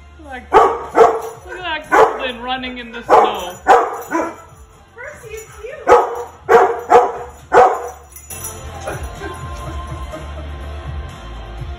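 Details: Golden Retriever, a male dog, excitedly reacting while watching a recording of himself. He gives a run of harmonic, yodel-like woos and yowls, repeated about every half second for eight seconds. Background music continues after the calls end.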